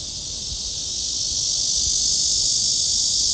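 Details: Cicadas at Gwanggyo Lake Park near Sindae Reservoir, Suwon, Korea, on 16 August 2022, heard along the walking trail: a dense, continuous high-pitched buzzing drone that swells steadily louder, with a faint low rumble beneath.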